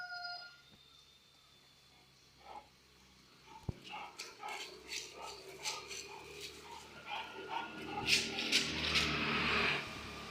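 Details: Kanni dog, a heavy-boned Rettaikuruthu type, barking in a rapid run of short sharp barks that build louder toward the end, after a quiet start with a faint tone.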